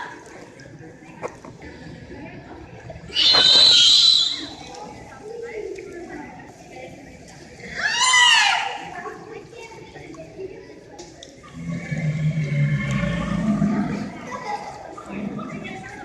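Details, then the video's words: Captive beluga whales in SeaWorld Orlando's indoor Wild Arctic exhibit, Florida, called the canary of the sea: two loud, harmonic, squealing bursts with a thin whistled tone, then a lower, wavering cry, over hall murmur and voices. "these are vocalizations of beluga whales in seaworld's wild arctic exhibit sometimes called the canary of the sea"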